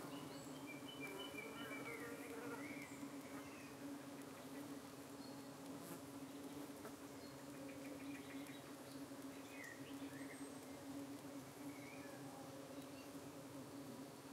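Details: Colony of honey bees in the UK fending off flies that try to cling to their abdomens, recorded in the evening; a constant low buzzing hum runs the whole time while small birds chirp faintly in the background.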